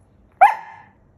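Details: Pet poodle nagging because he wants his pillows: a single sharp yelp, loud at onset and then sliding downward and fading within half a second, in a quiet indoor room.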